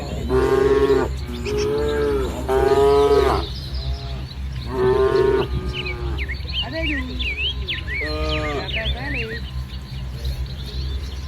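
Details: Herd of tame village cattle, coats from light brown to jet black, grazing among ripening rice fields in morning light; a run of loud, steady moos, three close together then more spaced, with birds chirping in the background.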